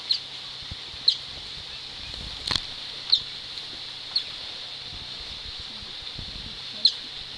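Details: Captive Asian small-clawed otters at Gweek seal sanctuary, Cornwall, UK, squeaking while playing with stones: sharp, high-pitched chirps roughly once a second, separated by pauses, over constant background hiss and a faint knock.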